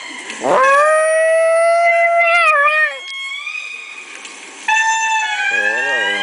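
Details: Bambi the Chihuahua joins in with lemur calls playing on a laptop, giving a sudden rising howl that holds level and then falls away. A second wavering tonal call from the recording follows, over a quiet indoor background.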